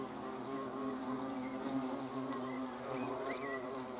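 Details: Hornets filmed on 30 June 2020 keep up a continuous deep hum of layered wingbeat tones, briefly joined by a short high chirp and a couple of sharp clicks near the end.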